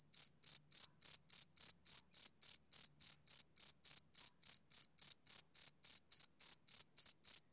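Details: Evenly paced high chirps from a male cricket on a summer evening, about twenty-six short shrill pulses over seven seconds in a steady rhythm, no other animals or noise present.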